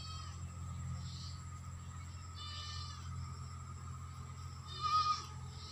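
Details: Goats at Nayan goat farm in West Bengal, India: three faint, wavering bleats with bright upper harmonics, spaced a couple of seconds apart, over a steady low mechanical hum and a constant high tone.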